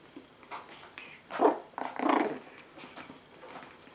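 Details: Indoors, an 8-week-old Pekingese puppy gives two short rough growling yaps about half a second apart, mid-pitched and grainy, between softer scuffing sounds in a small room.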